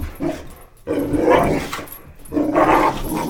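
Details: Indoor boxer dogs Roxy and Jackson worked up over a flashlight beam: two loud bursts of rough barking and yelping about a second apart, separated by a short quiet gap.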